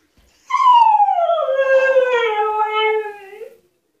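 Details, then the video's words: Husky named Altezza, a dog shut in an outdoor enclosure as punishment, demanding to be let out: one long loud tonal howl that starts high and slides steadily downward for about three seconds, rich in harmonics, ending with a slight upturn. "Хаски требует свободы"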